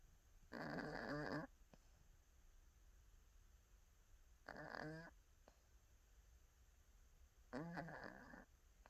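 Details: Dozing cat snores three times over nine seconds, each breath a raspy, buzzing rattle under a second long, evenly spaced by quiet gaps.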